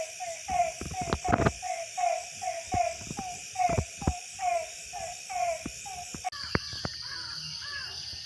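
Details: In a village at night after rain, in December, frogs call with short, nasal, harmonic notes repeated rapidly, several voices overlapping.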